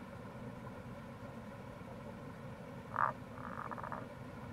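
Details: Tago's brown frog near a gorge on the Kamo River, Itoshima, Fukuoka, Japan, in April: one brief croak followed by a soft, quickly pulsed note train, partly buried in loud, constant rushing water.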